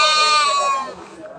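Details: Local goat at a busy goat market in Bangladesh; a single wavering nasal bleat close by, fading after about a second, with traders talking around it.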